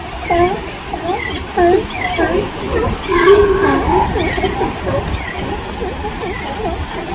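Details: In California a newborn sea lion pup cries for its mother, who is busy calling; quavering, nasal bleats overlap with a deeper, louder drawn-out call midway, all over a hiss of surf.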